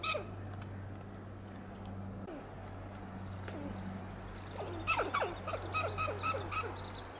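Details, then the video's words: Western gray squirrel on a coast live oak in Del Monte Forest, California, giving loud alarm calls. A quiet low hum gives way to a rapid run of harsh, downward-sliding clucking barks with sharp clicks, about four per second, in the closing seconds. "The sound of Squirrel"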